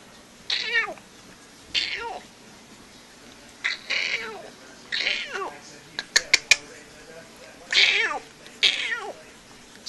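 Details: Treeing Walker Coonhound pup, sired by All Grand Track Lizard out of Dog Hill Katy, playing with a coon tail indoors; high, whiny yelps sliding downward in pitch, about six spaced over ten seconds, with a few sharp clicks midway.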